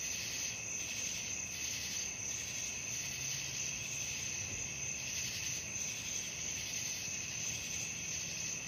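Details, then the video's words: Nighttime crickets sustain a piercing, even trilling chorus with quick repeated pulses around three per second and a faint low hum in the background. "suara jangkrik malam"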